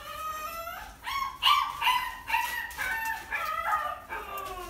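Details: Japanese Spitz with puppies at a dog breeding farm; a run of high, drawn-out whining cries, each rising then falling in pitch, about two per second, with a howl-like quality.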